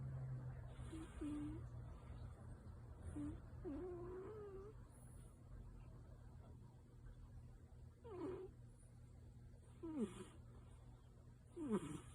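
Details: Yuki, a tabby cat sound asleep and maybe dreaming, makes soft moaning murmurs, one wavering and longer, then short sharp downward squeaks near the end, against a constant low household hum.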